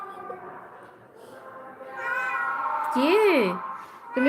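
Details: Rescued domestic cat kept in a home shelter for abandoned street cats, giving a drawn-out rising-then-falling meow with a clear tonal arch, preceded by softer murmuring and a woman speaking, with background music.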